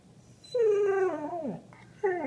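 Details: Beagle–Labrador mix dog (Beagador) 'talking' as if telling how her day went, indoors: a drawn-out whiny, harmonic vocal sliding slowly downward for about a second, then a second whine begins sharply near the end.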